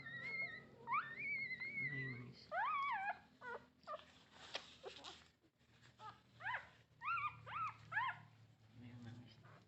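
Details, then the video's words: Nursing-age puppies, nine in the litter, whine for their mother's milk: drawn-out rising squeals, then bursts of short upward-sweeping yelps in clusters, separated by soft rustling and brief clicks. "the sound of a puppy asking its mother for milk"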